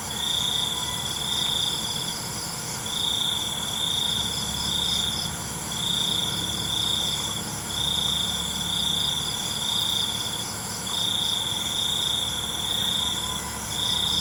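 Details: Crickets chirping at night: a steady, high, pure trill in bursts every two to three seconds, over a dense, constant high-pitched insect hum and a low rumble.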